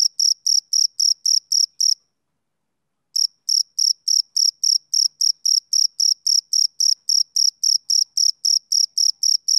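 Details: Summer-evening chirping of a male cricket: rapid, even high-pitched pulses, a pause of about a second, then the same steady rhythm resumes. No other sounds.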